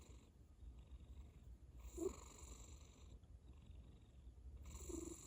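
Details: Soft cat snoring: two breathy, rasping snores nearly three seconds apart, with a fainter, smoother exhale audible between them.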